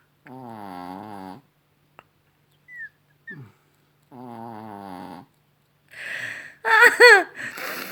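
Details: Rocky, a Chihuahua, snoring indoors in the evening. Two long rasping, buzzy breaths come about three seconds apart, each lasting roughly a second, with small snorts between. A louder, shifting vocal sound closes the clip.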